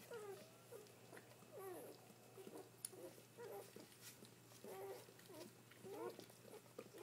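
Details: Dobermann pups, newborn, from a litter of seven and counting as the mother keeps giving birth; repeated short rising-and-falling squeaks and whines come every second or so, with a constant low electrical hum beneath.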